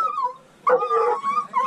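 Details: Treeing walker coonhound on a mink hunt alongside a dachshund: drawn-out, wavering howling bay notes, one long note, a pause, then a louder quavering run of bays.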